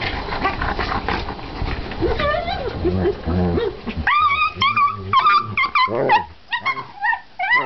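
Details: Two German Shepherd brothers: a person speaks at first, then high, sliding whines and whimpers come in short bursts, rising and falling, with a few soft grumbles underneath.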